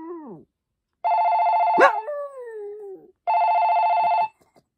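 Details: A Maltese named Poppy answers a telephone ring with a drawn-out howl. The voice wobbles, then glides slowly lower after the steady tone, and the ring repeats once more.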